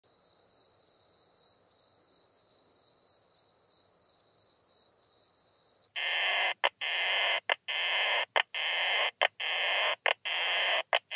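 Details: Isophya kraussii bush-cricket singing at Solnhofen, Germany, on 17 June 2021, made audible through an ultrasound detector: a steady high whine, then a run of rasping broadband pulses repeated roughly every 0.7 seconds.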